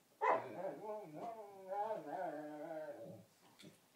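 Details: Dog singing a long, warbling, moaning howl while playing bitey-face with another dog, serenading it; tones rise and fall continuously for about three seconds, with brief grunts and yips near the end, recorded indoors.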